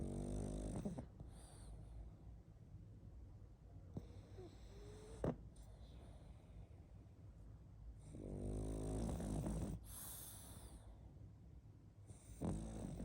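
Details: Pug asleep and snoring loudly, long grating inhalations with a ridged, vibrating texture, two strong snores near the start and later, softer wheezy breaths and a sharp snort between them.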